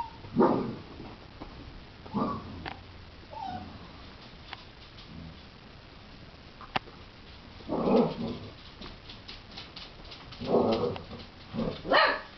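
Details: Basset Hound puppies, about two months old, give short yips and whimpers in scattered bursts after waking, in Pennsylvania, USA, February.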